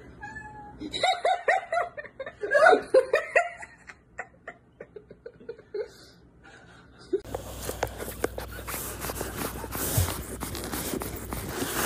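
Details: Domestic cat in a home setting giving a string of short, uneven meows and wails for about seven seconds, followed by loud rustling and handling noise.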